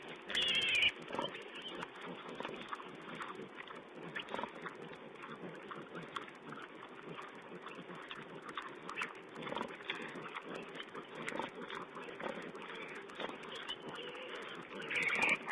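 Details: Wild boar piglets at a feeding spot, camera recording of 16 April 2010: rapid soft grunts and snuffles, with a sharp squeal at the start and another at the end.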